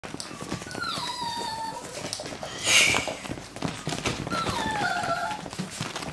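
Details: Russian Toy puppies playing indoors: two drawn-out, falling, whiny squeals with bright overtones, near the first and fifth seconds, over constant scuffling and rustling, with a short loud burst of noise between them.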